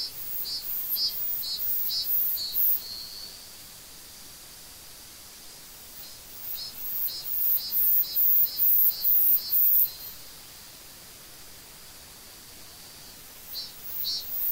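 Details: A Korean cicada sings from a tree in bouts of sharp, evenly spaced buzzy pulses over a steady hiss.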